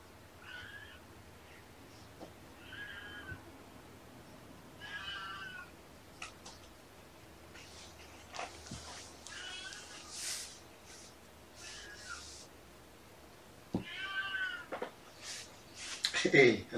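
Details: Kittens from Mama Seraphina's litter of four (three boys, one girl) at Purrfect Pals, shelter cats from Lewis County, WA, during afternoon play: thin, high, wavering meows repeated every few seconds, with soft thumps, knocks and a sharp clatter at the end.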